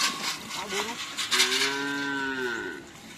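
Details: Madura cattle during karapan sapi racing practice at Asemanis, Pamekasan, before the Gagak Rimang anniversary. A short grunt is followed by a long, steady, harmonic moo of about one and a half seconds over background crowd noise.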